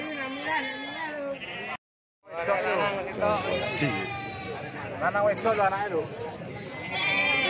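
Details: Goats at the goat market behind Pasar Baru in Tuban Regency, Indonesia, near the local flea market, January 2023 at 08:46: overlapping quavering, wavering bleats from several animals amid crowd voices, with a brief silent break partway through.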